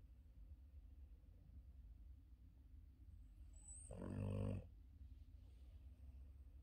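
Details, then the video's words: Yoda, a male Boston Terrier in deep sleep on his back, gives a single deep, rumbling snore over a low steady hum. "Yoda the Boston terrier deep sleeping on his back and snoring"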